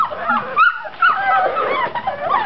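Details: Amstaff puppies seven weeks old in their indoor pen, whining with wavering high whimpers and yips that rise and fall in overlapping bursts, a person's voice nearby.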